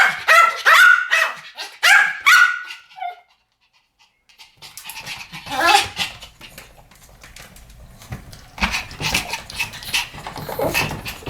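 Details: Pomeranian barking duet opening with a loud burst of shrill yaps, then a near-silent gap followed by softer, more scattered barks and rustling further on.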